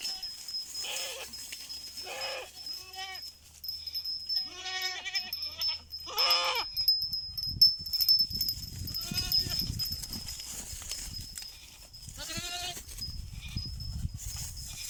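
Goats bleat in wavering, quavering bursts, answering a person who calls to them.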